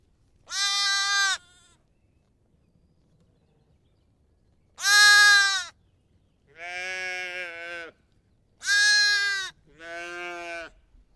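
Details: Bleating lamb and sheep: high, shaky bleats near a second long alternate with deeper, buzzier ones, five calls in about eleven seconds with quiet gaps.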